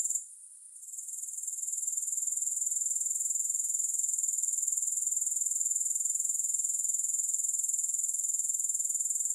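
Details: Grasshoppers heard without music: after a short gap at the start, a shrill high-pitched pulsing trill builds back and continues steadily to the end.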